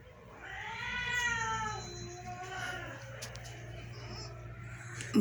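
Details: Pet cats being fed rice at home; a drawn-out falling meow lasting about two seconds, followed by quieter rustling and clicks, with a woman's voice calling nearby.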